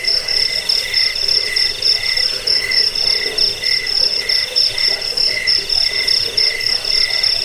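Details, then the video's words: Crickets in a recording said to drive away rats, lull listeners to sleep and tutor cage birds. A piercing, rapidly pulsed chirp runs continuously in beaded bursts over a quieter second tone, with faint low chatter below. "Suara jangkik pengusir tikus pengantar tidur"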